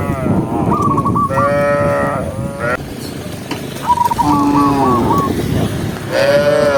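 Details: A vast herd of tame cows walking during the day in open countryside: overlapping, drawn-out harmonic moos from several animals, with a quick run of short whistled notes twice in the background and a steady low rumble of movement.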